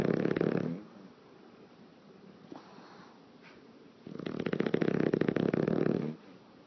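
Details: Pet English Bulldog sleeping and lip-flapping: end of one snore, a quiet gap with faint breaths, then a long fluttering, rasping snore of about two seconds.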